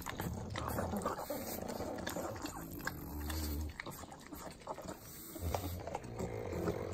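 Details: Pugs, three of them, licking butter in Southern California's Inland Empire. Steady smacking and slurping clicks with deep snorting breaths, including two longer low snorts.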